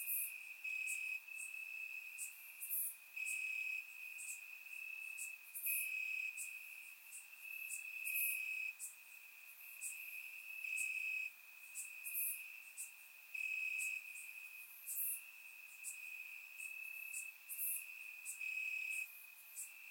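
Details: A warm Bulgarian summer night, crickets chirping in grass, recorded with a surround microphone. A steady shrill trill underlies a dense chorus of crisp, buzzing chirps that pulse repeatedly, around one per second.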